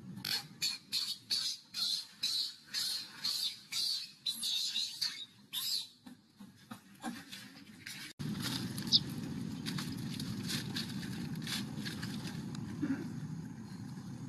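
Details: Baby macaque that has lost its temper, jumping about and crying: a rapid run of short, shrill, high-pitched cries for about eight seconds, then a steady broad rustling, scuffling noise with no clear calls.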